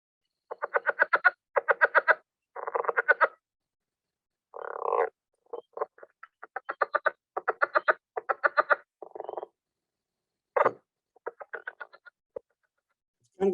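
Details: Southern leopard frog (Rana sphenocephala) in the northern Blackland Prairie gives a variable call: rapid chuckling pulse trains mixed with squeaky croaks like balloons rubbed together.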